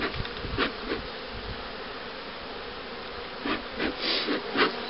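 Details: Buzzing honey bees around breeder and queen-rearing hives in 2013, a steady droning hum overlaid by brief hissy scraping bursts and knocks as frames are handled.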